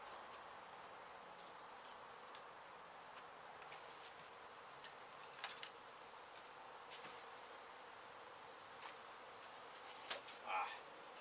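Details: Honey bees from a hive struck by construction crews demolishing an abandoned home in Mission, Texas, during a rescue and relocation. A steady, soft droning hum runs throughout, broken by scattered sharp taps and clicks near the middle and end.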